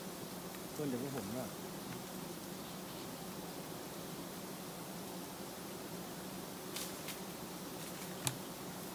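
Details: Roadside colony of giant honey bees nesting low, stirred up while being harvested for honey; continuous low buzzing drone, a short human voice early on and a few sharp clicks later.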